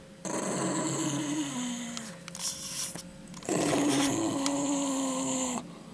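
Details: Dog refusing to give back a chicken bone, producing two long sustained growls with a steady falling tone, each lasting about two seconds, separated by a short pause.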